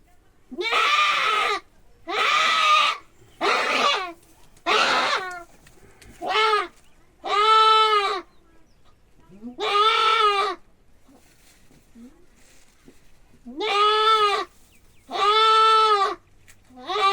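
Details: Male goat bleating while being castrated: about ten harsh, quavering cries, some short and some drawn out, coming at irregular intervals; human voices are heard between them.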